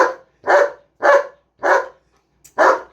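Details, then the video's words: Pet German Shepherd giving a run of five strong, rough barks at a steady pace of roughly one every half second, each bark short and full-bodied, nothing else audible between them. "German shepherd barking"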